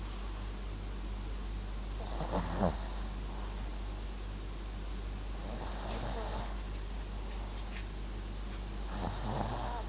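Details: Snoring from Max, a sleeping Papillon crossed with Japanese Chin: three soft, rattling breaths spaced about three to four seconds apart, each with a hissy edge, in a hushed room with background hum.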